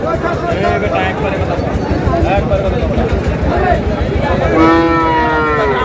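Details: Sahiwal bull at a livestock market in Chittagong, Bangladesh; a loud, low harmonic moo swells near the end over steady crowd chatter and market noise.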